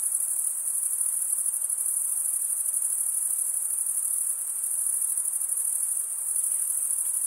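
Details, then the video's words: High-pitched cricket chirping, made by scraping one wing over the toothed vein beneath the other, runs as an even, ringing trill with slight dips in loudness and no other sounds. "Most relaxing cricket sound"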